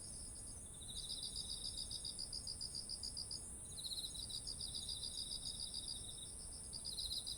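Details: Autumn insects beside heavy-eared ripe rice fields, recorded on a ZOOM H1essential: a steady high shrill hum runs throughout while a rapid pulsed trill starts after a second, pauses briefly near three and a half seconds, then resumes.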